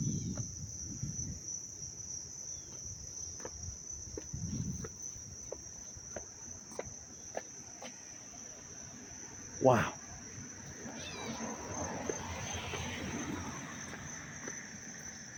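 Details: Up-close chorus of crickets in Dobbs Ferry, New York, August 19, 2025, making a constant high-pitched pulsing trill, with low rumbling, a sharp thud near the middle and a person's voice later on.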